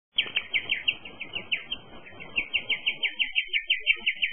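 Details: Guinea pig. A guinea pig gives its unusual bird-like chirp: a long run of high, thin squeaks repeated several times a second with a slightly wavering pitch. Soft rustling and handling noise sit underneath at the start.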